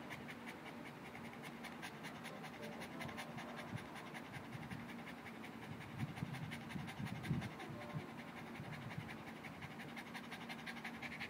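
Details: Boston Terrier panting to cool down after playing with an orange ball; quick, steady breathy huffs with a faint low rumble underneath, continuous throughout.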